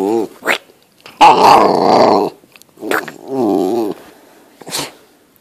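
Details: Female Great Dane puppy, eight weeks old, growling during play with her owner in a small room: two long, rough, rumbling growls about one second each, separated by snorts and short huffs.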